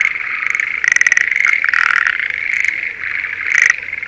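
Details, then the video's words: In a rice field near Sendai, Japan, breeding Schlegel's green tree frogs call in spring: overlapping rapid rattling pulses form a buzzy, continuous chorus with a few louder bursts standing out. "シュレーゲルアオガエルの鳴き声Voice of schlegel's green tree frog"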